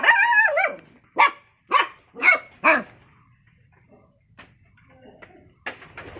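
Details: Puppy giving a long wavering high whine, then four quick yapping barks about half a second apart, followed by near quiet with a few faint clicks and a steady high hum.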